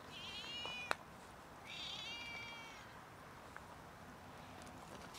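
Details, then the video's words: Cats meowing loudly for food before being fed; two drawn-out, strongly harmonic meows about a second each, the second wavering, separated by a sharp click, over a steady low hiss. "Cats meow loudly until I fed them"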